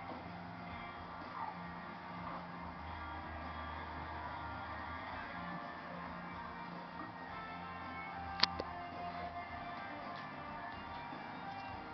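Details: Music from a television broadcast plays steadily indoors, with a faint sharp click near the end and no animal voice.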